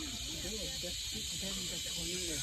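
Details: Cicadas sing at a family graveyard in Patikul, Sulu: a steady, high, hissing drone, with people talking quietly underneath.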